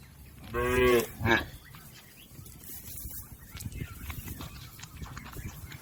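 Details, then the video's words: Cattle, a tame village herd grazing in a green field, with one short harmonic moo followed by a brief second low call, then quiet rustling field noise. "Suara sapi Moo"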